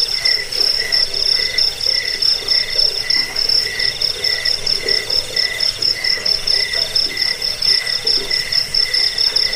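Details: Crickets offered as a rat-repelling, sleep-inducing and songbird-training recording: shrill rapid pulses ring steadily, joined by a lower chirping voice that repeats in short bursts about every half second.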